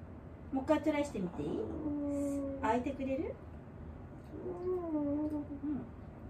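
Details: Elderly dog named Wanta, cared for indoors during a morning routine, voicing while awake: drawn-out tonal moans that waver and bend, two long cries separated by a short pause, with faint room noise.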